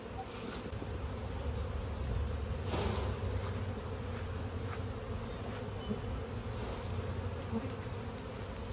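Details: Honey bees buzzing steadily around a hive during natural honey collection in an Indian village, a continuous low droning hum with occasional faint clicks and handling noises.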